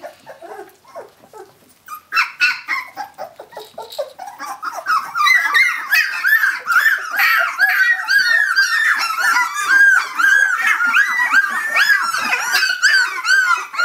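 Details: Young puppies at 17 days of age calling out for their mother: a few soft squeaks first, then a sustained insistent chorus of high, wavering whines repeated steadily without pause.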